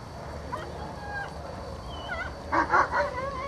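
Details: German Shepherd named Azzo during an IPO1 obedience test run: thin rising whines and short yips, then a cluster of louder, rougher bark-like bursts near the end over steady background hum.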